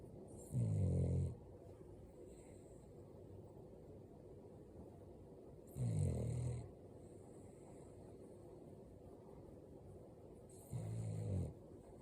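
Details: An 8-month-old female Boston Terrier puppy in Canada, possibly dreaming, snores in low, rumbling bursts about every five seconds.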